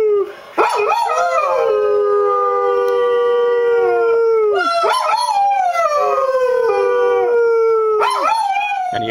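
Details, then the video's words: Pet dog Buddy leads a howling chorus: three long drawn-out howls, each opening with a sharp rising yelp and then sliding slowly downward, separated by brief breaks. "Buddy Howl"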